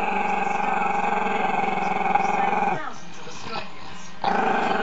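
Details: Chester, a camera-shy Maltese-Shih Tzu pup, growls at the camera: a long, steady, rumbling growl with a strong buzzy harmonic tone that breaks off near the third second, then resumes loudly for the last half-second.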